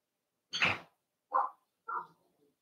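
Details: Cavalier King Charles Spaniel puppies playing in an indoor home puppy pen: three short yips about 0.7 seconds apart, the first sharp and harsh, the next two lower and softer, in a quiet room.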